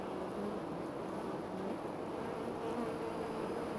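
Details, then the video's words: Honey bees around their hive, which sits 25 to 30 feet up a tree just outside a back door, filmed close up; a continuous low droning buzz with faint higher whines of single bees passing. "Honey Bees"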